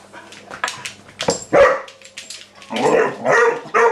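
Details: Vizsla puppy April, a female, at home with the house cat Maggie, gives short sharp yelping barks amid a burst of scuffling and a woman's voice urging her to sit and be quiet.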